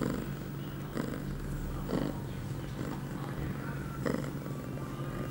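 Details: In heat at eight months, female cat Pia purrs indoors on September 23, 2011, two hours after her first birth control pill; a soft steady drone rises and falls with breaths near once a second.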